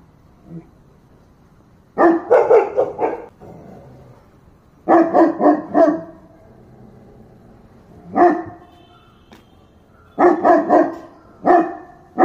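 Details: {'caption': 'Dog barking in rough clusters of three to five rapid barks separated by short pauses, with single barks between bursts; the tone is deep, harsh and forceful.'}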